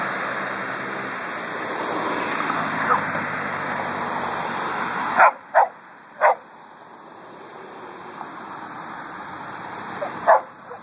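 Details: Coffey, a pet dog, on a hot August walk through a cemetery, where he loves to bark at cars and trucks: a passing vehicle roars for five seconds, then three sharp barks come in quick succession, a pause, and one final bark.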